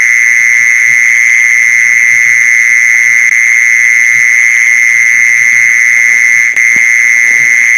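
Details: Continuous mole cricket trill played for luring mole crickets, a flat, even buzz that never changes pitch or loudness, with faint low knocking underneath and a brief click toward the end.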